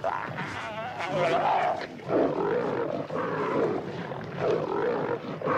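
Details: Lions at night in Africa competing over a wildebeest kill as its abdomen is torn open. Harsh, rasping snarls and growls rise and fall in overlapping bursts, with short pauses near two and three seconds and a continuous scuffling background.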